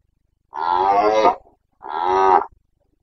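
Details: Carpathian red deer stag in Bucovina's mountain forests during the breeding season, late September: two loud harmonic roars, each under a second, separated by a short pause, rich tones with a rough edge.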